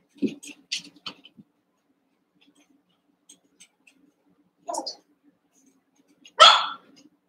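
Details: Cavalier King Charles Spaniel puppies indoors after merging two litters, eight pups together; brief squeaky yips at the start, a mid-pitched whine, then a loud high yelp toward the end.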